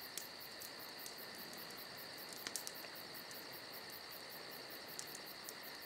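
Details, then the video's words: Summer-night cricket chorus, a constant shrill trilling with fast regular pulses, steady from start to finish; scattered crisp snaps from a campfire break through, a cluster of them midway. "Summer Night Crickets & Crackling Fire"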